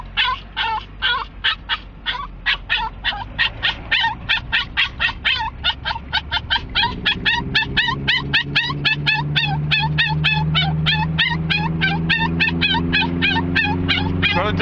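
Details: Excited pet dog riding to a dog park in Lake Havasu City, eager to arrive: rapid, high-pitched yips and whines repeated several times per second throughout, with a steady vehicle engine drone rising in the background.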